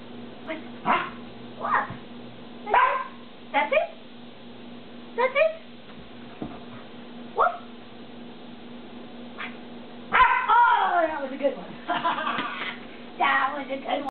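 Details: A Rottweiler learning to bark for a toy gives short, sharp barks, one or two at a time, asking for the toy.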